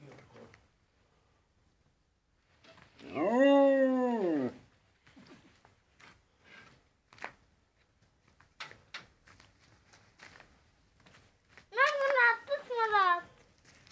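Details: Molly, a husky dog indoors, gives two drawn-out, richly harmonic arching howls, the first around a second and a half long, the second broken into several wavering rising-and-falling yowls, with quiet clicks and soft rustles between.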